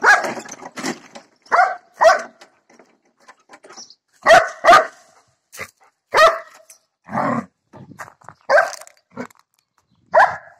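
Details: Barking from Figa, a year-old female German Shepherd going after a lawn mower: harsh, ragged barks in irregular pairs and singles throughout, some lower and growly, with short gaps between.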